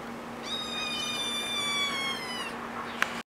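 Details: Feral kitten about one and a half months old, sitting in a djembe drum: one long, level, drawn-out high meow lasting about two seconds, with a faint steady hum underneath and a brief click near the end.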